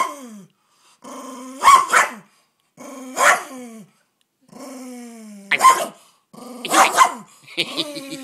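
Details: Pet dog indoors guarding a bone while being teased, giving a series of rough growls that rise into sharp barks and yips, about five bursts separated by short pauses.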